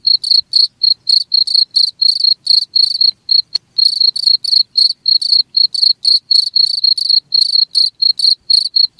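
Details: Steady cricket song, played to keep rats away: rapid high chirps repeated roughly four times a second, sometimes doubled, with one sharp click partway through and otherwise near silence.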